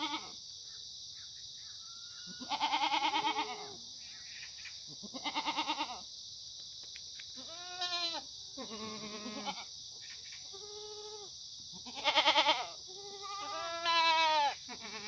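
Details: Free-range, antibiotic-free Korean black goats at a Yeocha-ri farm, Gimhae, South Gyeongsang, sunny Monday morning, 9 September 2019. Separate bleats every couple of seconds, some trembling and loud, others shorter and nasal, against an even high hiss.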